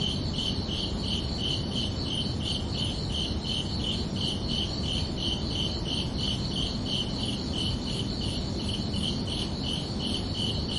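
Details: Crickets calling under a peaceful night sky, summer evening: a long unbroken series of high, evenly timed chirps, about three per second, with a steady low rumble beneath throughout.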